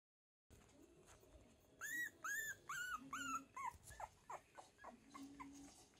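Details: Cavalier King Charles Spaniel whining indoors: a run of five high, arched whimpers about one per half second, each rising then falling, followed by softer short whines and a low murmuring voice.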